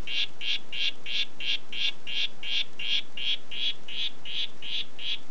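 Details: "Red Head" Oophaga histrionica calling in a brisk, regular rhythm of short buzzy notes, nearly three per second, each equally strong, with only faint background hiss.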